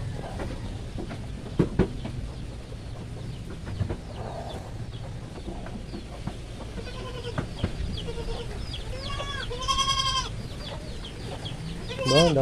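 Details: Native meat goats, mother and kid, receiving vitamin B complex injections; soft scattered sounds, then a loud quavering bleat near the end and a short rising cry closing the clip, over constant low background hum.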